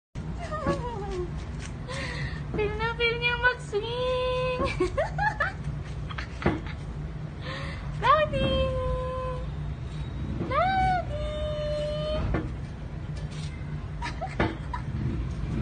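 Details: A three-month-old Siberian Husky in the Philippines gives drawn-out, talkative whines and yodels that slide up and down in pitch.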